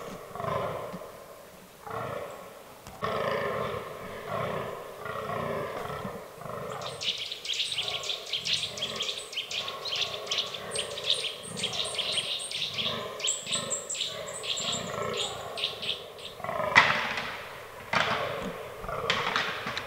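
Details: Fallow deer rutting in an autumn forest. Rough, pulsed groans open the recording, then a dense, high, crackling chatter runs over them for about ten seconds before the groans return alone.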